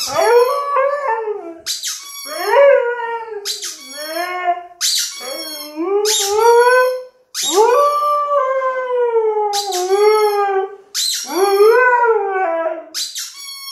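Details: A Siberian Husky sings with a toy rubber chicken, its wavering howls bending up and down in quick succession while the toy's shrill squeaks cut in between phrases, steady back-and-forth throughout.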